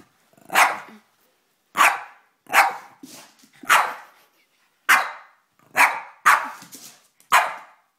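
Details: Boston Terrier; barks; fearful barking at an unfamiliar object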